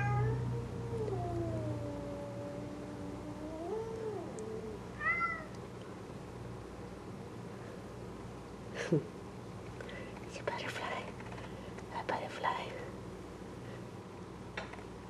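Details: Bengal cat indoors being shown a dead butterfly, giving a long drawn-out wavering meow that slides down then rises over about four seconds, followed by a short chirp; a woman talks softly and light clicks and rustles follow.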